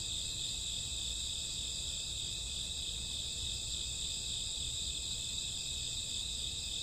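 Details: Crickets chirping with other grass insects at midnight in summer or autumn, merging into one constant piercing high trill with layered tones, unchanging over the stretch, plus faint low-frequency noise.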